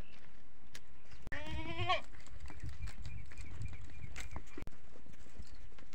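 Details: Goats on a farm in the early morning, an adult goat with its kid calling because they are hungry; one short, quavering bleat of under a second over steady, loud background noise.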